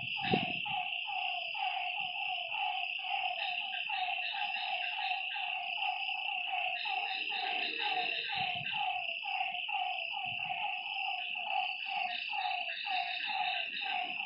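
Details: Lakeside frogs after dark keep up rapid, overlapping nasal croaks that each dip slightly in pitch, layered over an unbroken shrill buzz of insects, with a brief thump at the start.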